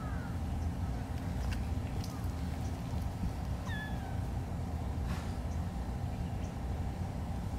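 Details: A kitten at Tomonoura, Japan, gives two short high meows, one at the very start and another a few seconds later, over a steady low engine-like rumble with faint clicks.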